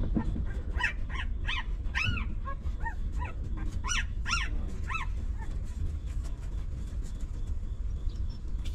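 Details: A stray dog's newborn puppy, nursing for milk, cries in a quick series of about a dozen thin, arching whimpers over five seconds, then falls quiet against low background rumble.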